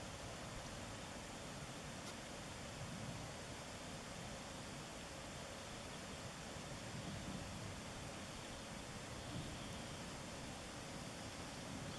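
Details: Steady broadband rushing noise, like wind or distant flowing water, with no animal call heard.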